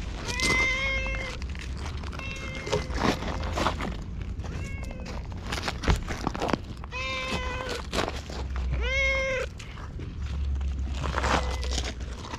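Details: Chatty stray cat at a shrine answering while stroked and tapped, giving a string of short meows roughly every one to two seconds, some bending upward, with rustling and scratchy handling noises between calls.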